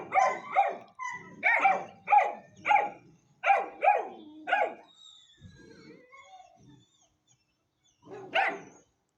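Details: Puppy Hanoverian Scenthound, ten weeks old: a run of rapid high-pitched barks, then soft whimpering, then one last sharp bark.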